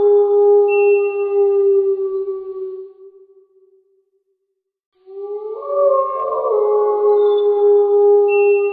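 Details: A wild gray wolf gives a long, smooth, steady howl; after a pause, several voices rise together in an overlapping chorus.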